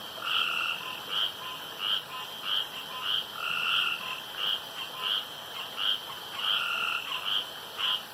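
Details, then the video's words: Night chorus of male frogs at a pond, each striving to call loudest for longest; evenly spaced croaks about 90 per minute, each a bright note over a lower buzz, with a constant high background whine. "STRANGE NOISES AT NIGHT"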